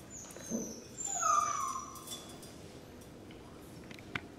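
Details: A rescue puppy gives a thin, high whine that slides downward, followed by fainter tonal whimpers and then quiet room noise.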